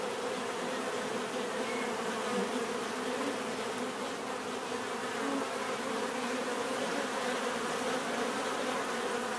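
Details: Relaxing bee buzzing, a dense even drone of many wings with occasional brief higher whines passing through the steady hum.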